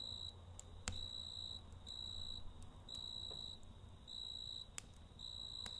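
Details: Quieter nighttime scene: a cricket repeats thin, high chirp bursts of about half a second, spaced by short silences, with occasional faint campfire snaps and a hiss of background noise.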